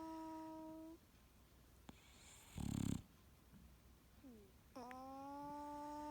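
An English Bulldog snores with drawn-out, whistling, nasal tones broken by a brief harsh snort.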